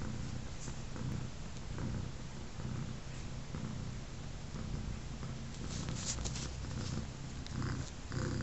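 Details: Three-legged mother cat Sugar, missing a front leg after a dog attack, lies with her three newborn kittens a day after birth; a low, steady rumbling purr pulses rhythmically throughout, with a few faint clicks and rustles.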